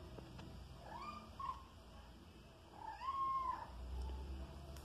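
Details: Soneca, a five-month-old pet kitten that hunts flying insects at home, gives two drawn-out meows indoors. The second is longer and arches up then down, and about a second of quiet room sound separates them.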